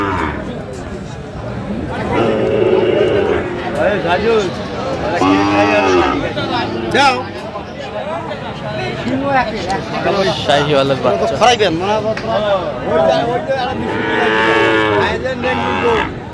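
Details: Sahiwal bull calves at a market in Kurigram, Bangladesh: repeated arching, harmonic moos from more than one animal, interleaved with constant talk of buyers and sellers and faint music.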